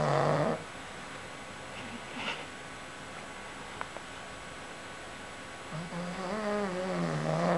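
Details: Pug snoring while taking a nap; long rasping breaths with a wavering low drone at the start and end, quieter pause between, a few faint clicks.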